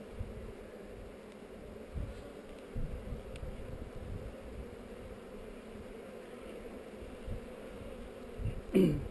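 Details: Hive of honey bees on heather, recorded on a GoPro while the hive is being inspected: a constant droning buzz with low rumbling handling noise, a few soft knocks, and a sharp click near the end.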